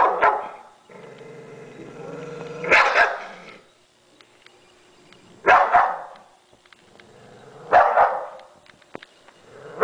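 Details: A Bull Terrier puts on a show while eating, letting out short, rough, gruff barks spaced two to three seconds apart, with a low steady hum, quiet clicks and rustles between them.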